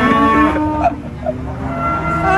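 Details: Cattle being taken to the animal market at Prambanan, Indonesia: a short low moo at the start, then people talking and music in the background.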